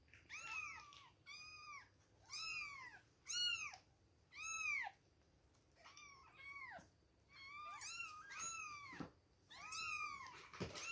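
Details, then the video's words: Two-week-old kittens calling at milk time, with repeated high, arching mews, sometimes doubled or overlapping, spaced roughly a second apart, and a few clicks near the end. "2 weeks old baby kittens, milk time!"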